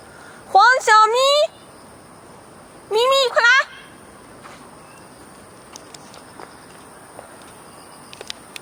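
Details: Two pet cats, Fengfeng and Huangxiaomi, out walking in a Beijing garden on an early August morning in 2013; two bursts of bright, harmonic, rising meows, several calls in quick succession, against a constant insect drone.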